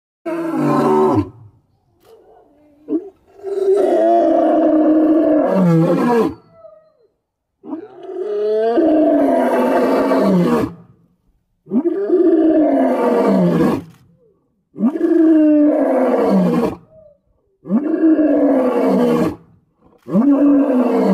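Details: White lion crying out in a loud series of deep, harmonic roars, each lasting one to three seconds with a falling, groaning tail, separated by brief silent pauses.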